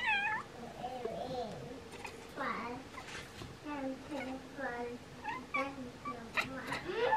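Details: Two Bengal cats chirp and chatter in quick, bending trills, mixed with short meows, aimed at swallows preparing to migrate.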